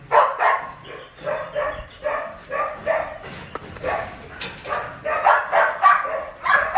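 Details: Rapid, near-continuous barking during Belgian Malinois training at a kennel in Ho Chi Minh City: dense runs of short mid-pitched barks, roughly three or four per second, with brief clicks and knocks in the middle.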